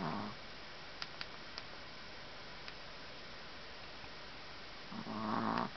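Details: Exhausted puppy after playing all afternoon with another puppy, Minnesota, July 2010: low, rasping snore breaths at the start and again near the end, over steady room hiss with a few soft clicks.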